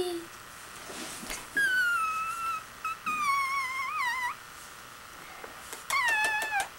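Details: Spunky, a kitten a few weeks old, being handled indoors, gives three drawn-out, high-pitched meows. The first is level, the second wavers and rises at the end, and the last is shorter and falling. A person talks softly between the calls.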